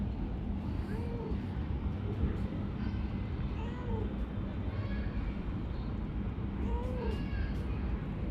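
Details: Talkative, affectionate calico cat living under a workplace, giving three soft arched meows spaced about three seconds apart over steady low rumbling background noise.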